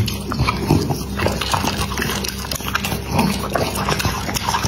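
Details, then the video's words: Dog feeding: loud smacking chews and slurping bites come in quick bursts, layered over a constant low mains hum. "Dog Eating ASMR"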